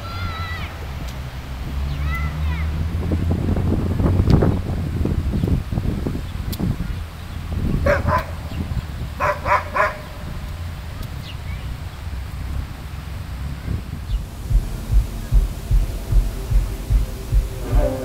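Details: Dogs at a dog park in downtown Vancouver, BC, Canada, on a sunny summer day in 2011, giving short sharp barks in quick bursts around the middle, over steady low city rumble and human voices.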